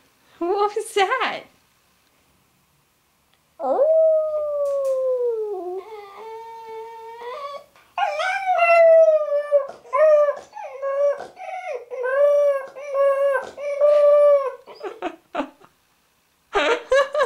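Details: Labrador retriever puppy, female, singing with her owner: a long drawn-out howl that dips and rises, followed by a run of short wavering howled notes, with human voices mixed in at the start and end.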